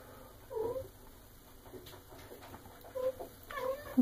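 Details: Female Maine Coon, eight and a half months old, indoors at mealtime; brief meows at the start and end, interrupted by a man's gentle talking and rustling.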